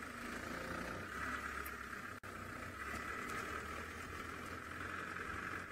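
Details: A steady vehicle engine idles throughout, with a brief cut near the middle and no animal voices.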